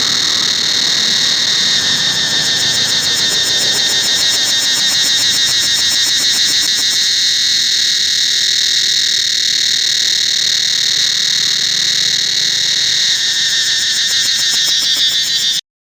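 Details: Forest cicadas at Angkor Wat temple: an unbroken shrill buzzing chorus, steady and high, with faint rapid pulsing growing stronger near the end before the sound cuts off abruptly.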